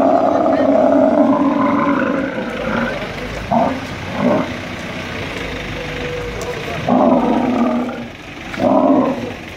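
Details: Angry male dromedary camel lifted by crane at the Al Ain camel market, UAE, 21 March 2017: a long, throaty harmonic roar, then several shorter gurgling bellows, over people's voices and background noise.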